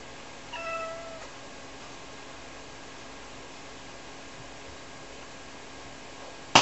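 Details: A single clear, tonal meow from Rara, a two-year-old Ragdoll, calling out on purpose when her owner steps out of sight to do laundry in a small home. A steady room hum follows, ending in a sharp click.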